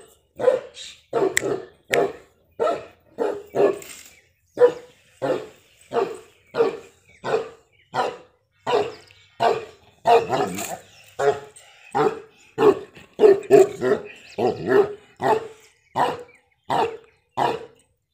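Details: Dog barking in a steady series of short, sharp barks, about one to two per second for eighteen seconds, with a mid-pitched core and some overlapping barks, suggesting more than one dog.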